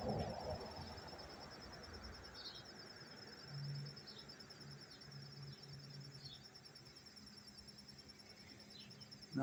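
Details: A cricket in Tarrytown, New York, on 27 September 2023 keeps up a non-stop, high-pitched pulsed trill at an even rate. A few brief higher chirps, a low hum and a man's voice are heard faintly.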